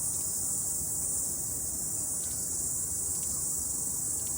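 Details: After rain on a morning mountain hike, cicadas sing in an unbroken, high, sizzling buzz that stays even in loudness, with a soft background rumble.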